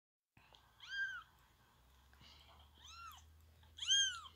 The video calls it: Baby kitten meows